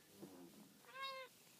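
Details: Domestic cat giving a single short, clear meow near the end, rising then falling, right after a person softly calls "kitty" several times in a quiet room.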